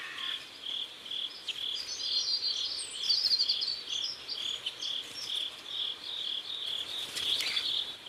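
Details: Evening crickets beside a South Korean river at sunset, rapid high-pitched chirps pulsing steadily, with faint higher twittering layered above.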